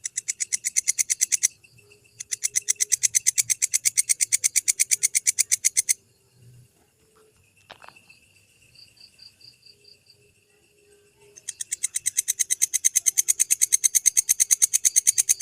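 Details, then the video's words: Walang kecek grasshopper, recorded in Indonesia for training lovebirds: bursts of rapid, high, scratchy pulses broken by two pauses, the middle gap holding faint thin tones and a click before the rasping train resumes strongly. "Suara Masteran walang kecek Belalang - Suara Walang Kecek Untuk Masteran Burung Jawara"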